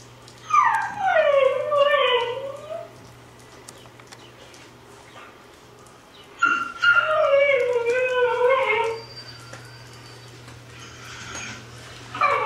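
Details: Pet dog howling along to recorded husky howls: two long, wavering howls that slide downward, each lasting about two to three seconds, separated by a quiet pause, over a faint steady hum.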